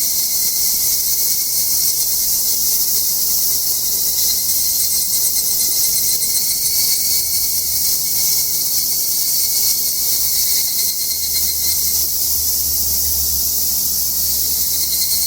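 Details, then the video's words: A steady, dense shrill of cicadas on a Japanese satoyama mountain during a summer hike, a continuous high buzzing that never lets up. "🎧🎤夏 里山 音 -Cicada Sound-JAPAN SUMMER MOUNTAIN SOUND TEST LOW-QUALITY"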